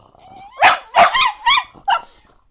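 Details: An Italian Greyhound answers its owner with a series of short, rising-and-falling yowling 'talking' sounds while the owner asks whether it wants to go out.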